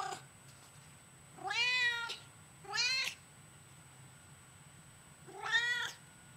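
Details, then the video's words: A chatty female domestic cat answers with three clear meows, two close together and then a pause before a longer third. Each one is arched, tonal and slightly whiny, with steady faint background hum. "the Cat Replies to Her Fans"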